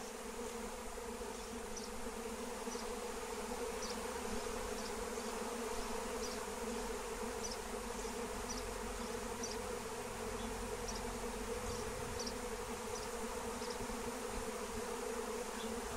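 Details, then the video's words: A flying swarm of wild honeybees, drawn in for capture with lemon balm, makes a continuous low droning roar that holds level for the whole stretch. Light, sharp clicks sound every second or so over the hum. "Honey Bee Swarm Capture with Melissa plant"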